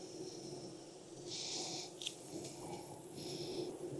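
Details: Honey bee colony humming during a hive inspection in Texas on a hot day near 92F, after weeks of rain; a steady low droning buzz runs throughout, broken by several short breathy hissing puffs.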